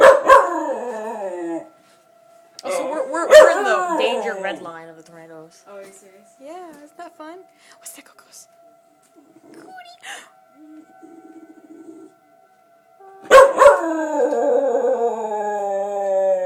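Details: Cody the dog barking and howling in response to a tornado siren, with a burst of bark-howls at the start, wavering quieter howls and a person's voice in the middle, then a loud sustained howl to finish.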